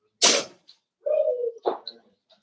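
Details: Four-week-old Cavalier King Charles Spaniel puppies from Daisy's litter in their indoor pen: a sharp clatter, then a steady, level, half-second whine, followed by a brief, higher yelp-like squeak.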